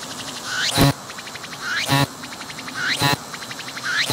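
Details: Close-range recording of a singing cicada that did not flee when approached, its abdomen moving as it sings; a rattling sweep climbs in pitch and snaps into a loud buzzy burst, four phrases roughly a second apart.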